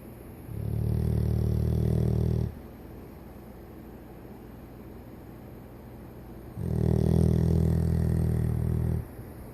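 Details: Fourteen-year-old Golden Retriever named Toby sleeping peacefully after tiring out: two long, low, rumbling snores of about two seconds each, separated by roughly four seconds of quiet breathing and faint room hum.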